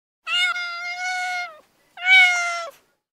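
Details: Cat in heat calling to attract a mate with two long, level, steady-pitched meows, each over a second long, split by a brief pause in an otherwise quiet setting.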